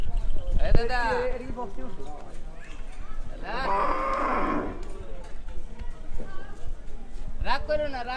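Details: Cattle at a Qurbani (sacrificial) cattle market in 2024, lowing in long drawn moos with rich harmonics, one around four seconds lasting over a second, amid crowd chatter and men bargaining.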